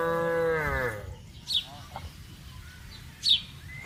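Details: Tame cattle out on broad grazing land: a single short moo fading out within the first second, followed by quiet rustling and a couple of sharp bird chirps.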